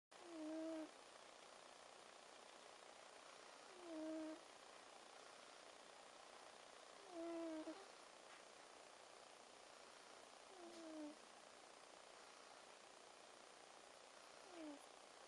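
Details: Domestic cat named Moko snoring: short whistling, nasal tones repeat about every three to four seconds with breaths, some with a falling tail, over a steady broadband hiss.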